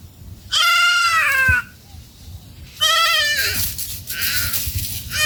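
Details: Goats of a family feeding in a forest give two strong, quavering bleats about two seconds apart, each roughly a second long and harmonic-rich, with soft rustling and background noise between.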